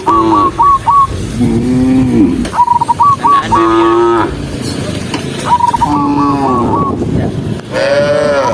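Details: Huge herd of tame cattle on the move, tens of thousands walking together; steady lowing with overlapping moos of varied pitch, broken by a high, stuttering whistle trill recurring every couple of seconds.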